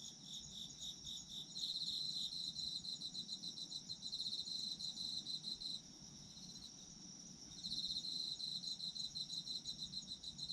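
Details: High, pulsing chirps of autumn insects in a calming night-style recording: rhythmic trills about three or four per second come in two loud bursts separated by a quieter stretch of continuous faint ringing.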